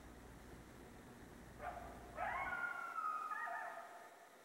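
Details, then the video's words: At night, a coyote gives a brief rising yelp, then a long, wavering, high-pitched howl that slowly falls away. "Coyote Howling at Night Part 1"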